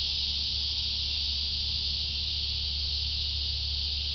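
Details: Loud continuous cicada drone, a shrill hissing buzz held without break, over a noticeable deep steady hum in the background.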